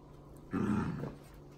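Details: Dachshund at play with a rescue dog gives a single low, rumbling growl of about half a second, loud and rough, rising abruptly out of a quiet room with a faint steady hum.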